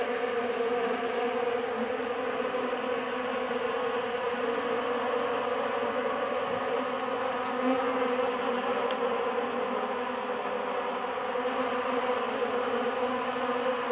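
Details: A sustained, even drone from many honey bees feeding on a homemade pollen substitute, the hum holding steady from start to finish.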